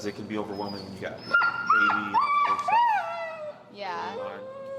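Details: Extremely vocal dog Finn whines during come-when-called training with an e-collar: a few thin, high whimpers slide and dip, one ending in a falling curl, with a person talking before and after.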